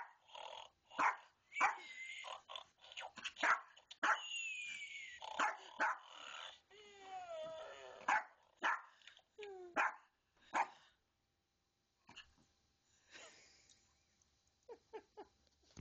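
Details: A little dog takes on a snoring stuffed toy: clusters of sharp yapping barks with some growls and whiny yelps, then a pause and a few softer yaps near the end.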